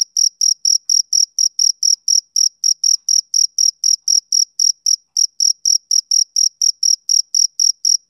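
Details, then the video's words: A male cricket chirps on a summer evening: quick, even, shrill pulses repeated roughly four times a second for the whole stretch, bright and tonal over silence. "Cricket Chirping Sound Effect"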